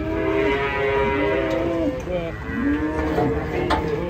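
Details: Cattle unloaded from a truck give a long, steady, full-toned moo. A second, shorter lowing call follows, with voices and clatter in the background.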